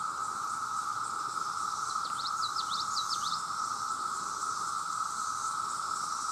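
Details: Male cicadas by the millions calling for mates: a constant loud drone with a thin high buzz above it, while a small bird adds a quick run of sharp chirps around the middle.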